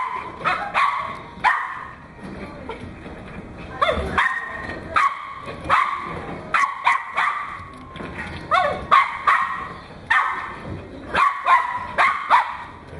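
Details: Pembroke Welsh Corgi puppy named Goro, from Fukushima, 31 May 2011, giving short, high-pitched yips and barks, singly and in pairs, roughly every half second to second, with brief quiet gaps and faint background voices.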